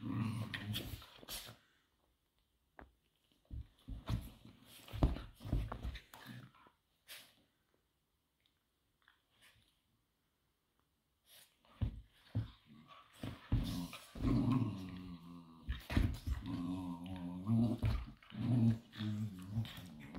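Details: Two Patterdale fell terriers, Obscura and Estacado, play-fighting indoors: low rumbling growls with snarls and scuffling, quiet at first, then denser, continuous growling in the second half, with brief noisy thumps of movement.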